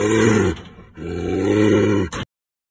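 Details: Brown bear kept in a cage, aggressive toward a nearby person: two deep, drawn-out growling roars, the second longer and steadier, ending abruptly in a short grunt.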